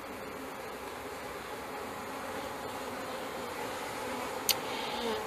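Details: Package honey bees installed into a hive in May 2013 give a continuous, even droning buzz from a mass of bees, with a single short click near the end.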